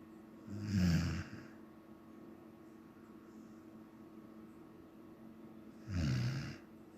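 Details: Sleeping Samoyed dog snoring indoors: two deep, rasping snores about five seconds apart, each a low rumbling breath lasting under a second, with quiet room hiss between them.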